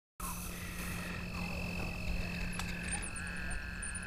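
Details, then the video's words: Toads calling at dusk by Lake Worth, Texas, on 24 April 2010 during a fishing trip: a steady, even, high trill runs through the whole recording, with a low constant hum beneath. "Toad calls"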